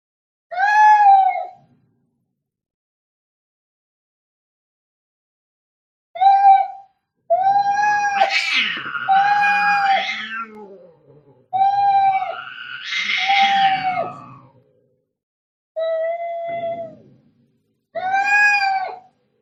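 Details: Angry cats fighting: loud moaning yowls that alternate with harsh, noisy spitting and hissing bursts in the middle. Tonal wails return between the outbursts, and the sequence ends on a final yowl.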